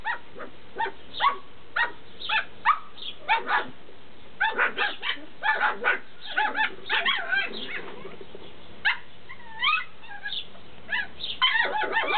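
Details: Several Tibetan Terrier puppies in Berlin/Brandenburg squeal and whimper: quick overlapping high yaps crowd the first half, then a few looping, rising-and-falling whines stand out before a fresh burst of yips at the close.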